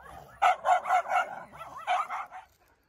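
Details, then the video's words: Siberian Husky household walk in cool winter wind around Ubon, Thailand, visiting neighbouring dogs; a quick run of four sharp barks, a short wavering whine, then two more barks fading out. "Woof pack walking 🐶 เดินเล่นรับลมหนาวกับไซบีเรียนฮัสกี้บ้านแคนดี้"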